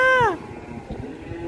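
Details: Cow, a fattened masked cattle being brought in for loading onto a truck, giving a short falling moo with clear harmonics that lasts under half a second, followed by low background noise.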